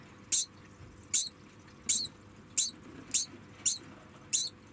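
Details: A degu, put in a small room while its cage is cleaned, squeaks in protest. It gives a steady series of brief, shrill, very high chirps, about one or two per second, over a quiet indoor background.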